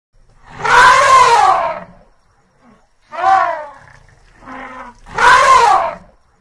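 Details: Elephant. An elephant gives harsh, brassy trumpet blasts, each lasting over a second, that waver in pitch. A shorter blast and a quieter, lower note come between the first and last calls.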